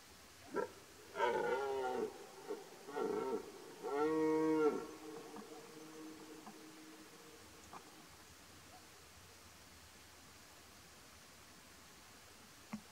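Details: Rutting red deer stag with twelve points, Poland, 2023 rut: a short grunt, then several harsh harmonic roars in quick succession, the last the longest at nearly a second, followed by quiet with a faint low hum.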